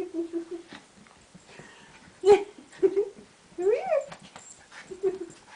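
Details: An excited Maltese dog playing indoors, treating its owner's put-up hair as a toy. It gives short whiny yips, then a rising, wavering whimper near the middle and a final brief whine.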